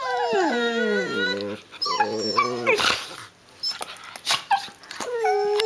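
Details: Pair of six-month-old Border Collie puppies gnashing in play, opening with a falling whine that drops into a low growl, then snapping and scuffling noises, ending on another steady high whine.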